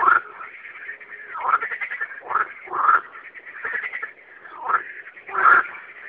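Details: Frogs calling at night, a continuous rattling, pulsed chorus broken by louder raspy croaks roughly every second or so.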